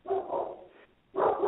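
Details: German Shepherd barking at something during a live radio conversation: two muffled, low barks separated by a short pause, with a narrow, telephone-like sound quality.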